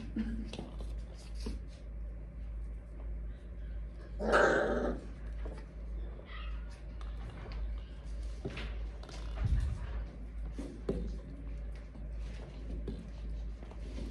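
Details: A dog indoors in a small room, growling low with one loud, broad bark burst about four seconds in, then scattered softer grunts and thumps over a steady low hum.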